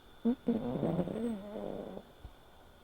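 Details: Asleep and snoring, Sora, a silver tabby American Shorthair tomcat aged five, lets out a short puff and then a drawn-out, low, wavering hum of about one and a half seconds that fades into quiet.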